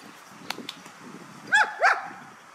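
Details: Working guard dog on a belongings-guarding training drill in Hà Tĩnh, Vietnam, giving two quick barks in close succession after a stretch of faint clicks and low background noise.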